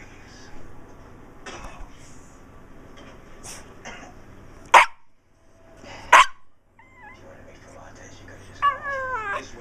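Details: Pet dog giving the odd meow-like noises it makes after barking or when wanting attention: short clicks and thumps, then two brief harmonic mews near seven seconds and a falling, wavering whine at the end, with faint talking in the background.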